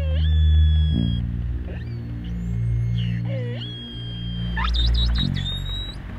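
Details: Short-finned pilot whale vocalizations recorded while sailing around the Canary Islands, where hundreds were seen: thin tonal whistle sweeps and a long steady note, over low violin musical backing.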